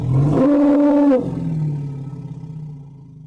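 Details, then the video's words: An elephant's brief, piercing trumpet lasting under a second, with a steady harmonic tone, cut off sharply and followed by a low, pulsing rumble that fades out. "Elephant Sound Effects"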